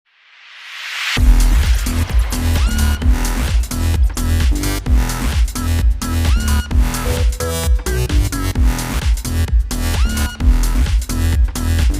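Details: Loud electronic dance music with a heavy, pulsing bass beat fills the whole clip, and no animal voice can be picked out.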